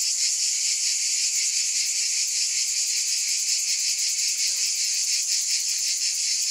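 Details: Continuous high buzzing of cicadas, a shimmering insect drone with quick pulses growing more distinct toward the end, otherwise steady and uninterrupted.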